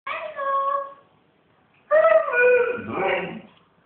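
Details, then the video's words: Siberian Husky 'talking', said to be saying hello: two drawn-out harmonic vocal notes, the first about a second long, then a pause, then a longer wavering, rising-then-falling utterance lasting about a second and a half, in a quiet room. "talking husky he loves to say HELLO"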